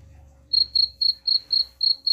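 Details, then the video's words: Rat-repelling cricket chirping beginning after a half-second of low rumble, then seven crisp high chirps spaced about a quarter second apart. "suara jangkrik pengusir tikus ampuh"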